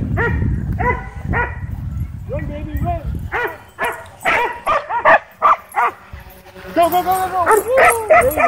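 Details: Frenzied dogs at a dog park barking at a DJI Mavic 2 drone, barks coming fast and overlapping, with people talking and rumbling background noise in the opening seconds.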